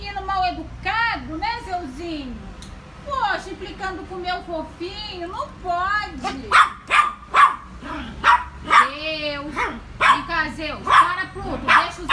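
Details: Frightened miniature Yorkshire Terrier at home, giving high wavering whines that rise and fall, then sharper yelping bursts about once a second. A woman's voice talks over it throughout.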